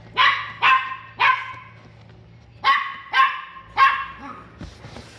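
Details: Pomeranian in a pet shop in Kobe, Japan, gives six sharp, bright barks in two rough groups of three, each bark short with a quick falling tail. A low steady hum runs underneath.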